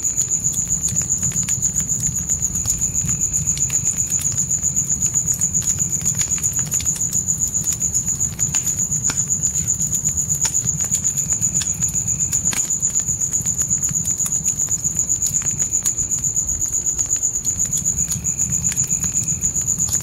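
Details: Crickets call at night in a forest beside a campfire in a tent. A continuous high-pitched pulsed trill repeats about four times per second over twenty seconds. Popping fire crackles and a soft low roar fill the background.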